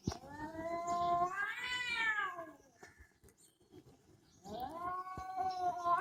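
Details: Cat giving loud, drawn-out yowls. A long wavering cry rises and falls over two seconds, then goes quiet. A second rising yowl starts near the end, with faint clicks and small noises in between.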